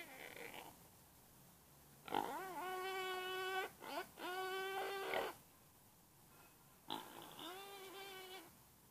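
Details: Hausschwein, a domestic pig, giving three drawn-out, rich harmonic squeals of one to one and a half seconds each, the first two close together with a brief snorting break, then a pause before the last.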